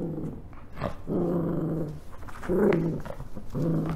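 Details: Oscar, a spoiled Rat Terrier dog, indoors reacting to a new toy and ignoring his favourite one: low rumbling growls in sustained bursts of about a second, separated by short pauses, with a louder, rougher middle burst.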